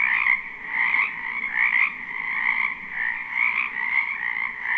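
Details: Many frogs croak together in a spring wetland behind a house, recorded live at night-time for sleep; a dense, unbroken chorus of rasping trills pulses in uneven waves, with two bright stacked tones and a faint low hum beneath.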